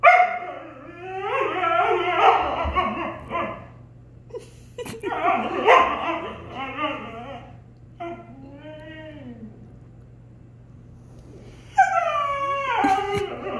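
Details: Siberian Husky arguing with a German Shepherd brother; bursts of loud, wavering howl-talk and yips, with a short pause, a softer bending moan near the middle, then another rising howling outburst at the end.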